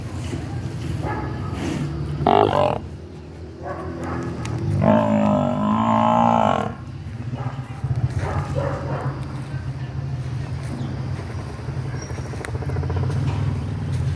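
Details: A water buffalo cow, missing her newborn calf, lets out a drawn-out, throaty bellow of about two seconds, full and nasal, over a constant low rumble with brief human voices nearby.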